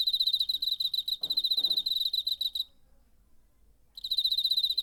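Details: Cricket recorded in September 2019, described as having a beautiful wing sound; rapid, pulsed high chirping in steady bursts, pausing briefly then resuming, with a low rustling handling noise in the gap.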